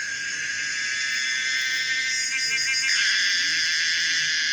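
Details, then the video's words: Common cicada Pomponia linearis singing a continuous shrill drone that wavers in pitch, with faint ticking pulses in the middle. "the weird sound of the common cicada pomponia linearis"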